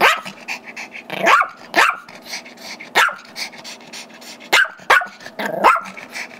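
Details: Gizmo, a five-year-old Chihuahua/Yorkie mix, barks at his younger brother Tigger, a Yorkie holding a squeaky toy he really wants; sharp high barks come in bursts, about six in all, over a steady low hum and faint squeaks.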